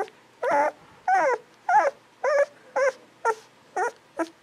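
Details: Golden Retriever puppies, 11 to 13 days old, give clear squeaky whimpers with wavering, harmonic-rich tones, about eight separate cries in under five seconds at a steady pace, each one short and slightly rising and falling.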